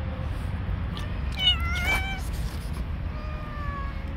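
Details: Orange street cat, friendly and stray, lets out one clear wavering meow midway, followed by a fainter, longer falling mew against constant low background hum.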